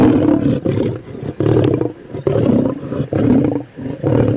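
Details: Lion, from footage of lions hunting and eating buffalo, zebra and deer: five short, deep, rasping growls, each about half a second long, separated by brief pauses, forming a rough, pulsing snarl.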